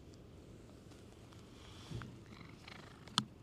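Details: A stray park cat in Japan that has come over to be petted purrs in a steady, low, grainy rumble. A short sharp click sounds near the end.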